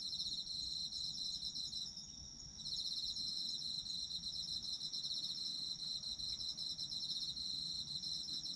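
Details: Shrill, continuous trilling of Japanese autumn insects, with a short quiet dip around two seconds after which the high pulsing chorus returns strongly. A faint low hum sits underneath.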